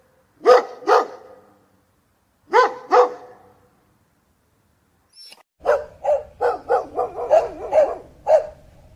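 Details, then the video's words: Dog barking: two paired sharp barks, another pair about two seconds later, then a quicker run of about eight yappy barks with a faint low hum beneath. "som de cachorro"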